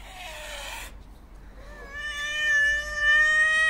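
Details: Hungry white and ginger male stray cat seeking attention: a breathy hiss-like burst first, then a long, steady, drawn-out meow with rich harmonics that rises slightly in loudness toward the end.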